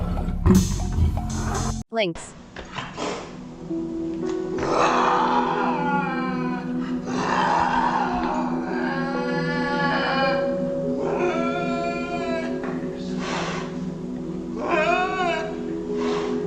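A tiger gives deep, rasping roars in a series of drawn-out bursts over a musical background.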